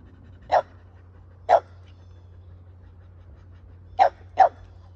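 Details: Kumo, a fluffy Keeshond, during a hugging and kissing session with his owner at home: four short sharp barks, two near the start spaced a second apart, then a quick pair close together near the end, over a low steady hum.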